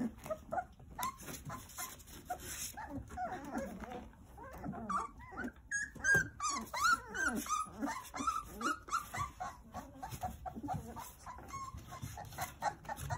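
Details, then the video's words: Nine young Jindo puppies playing, tended by their mother Sarang: steady stream of short squeaks and whines, roughly one or two each second, some drawn-out falling whimpers in the middle, over constant rustling and shuffling. "귀여운 진돗개 9꼬물이들 아장아장~ 잘 놀아요"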